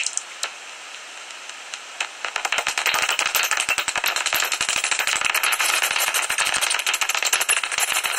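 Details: Common noctules in a tree-hollow roost near Ibbenbüren, Germany, mid-August, shortly before sunrise; after two quieter seconds with a few isolated clicks, rapid rattling chatter sets in and continues densely to the end.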